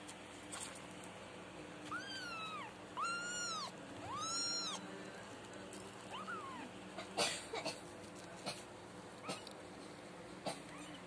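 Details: Four kittens nursing from their mother cat, with several clear, high, arched meows: one near two seconds, two longer drawn-out cries around three to four and a half seconds, and a short one near six seconds, followed by scattered clicks and rustling.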